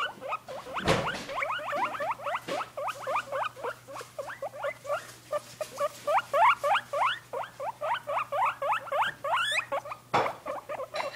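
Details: A pair of guinea pigs in their cage, lively and excited: a long, fast run of short, upward-sweeping squeaky chirps, several per second, with a few thumps and rustles in the cage.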